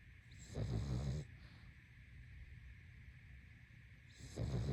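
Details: Pug sleeping, giving a rough, throaty snore lasting about half a second, then three seconds of quiet before the next snore begins, with a soft constant hum behind.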